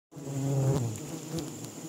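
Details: Stingless bees (tawon klanceng) at a honey harvest in Malaysia, giving a low, steady droning hum that starts abruptly and holds for nearly two seconds with slight swells in loudness.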